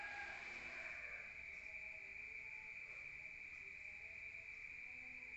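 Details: Crickets calling outside at night in a rural area, heard indoors: a constant high trill continues while a short louder burst of sound opens the first second.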